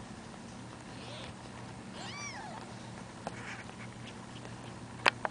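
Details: Week-old kittens, two left in a box after their mother carried three littermates away; a few faint high mews with falling tails, the clearest near the middle, over a steady low hum and a couple of sharp clicks at the end.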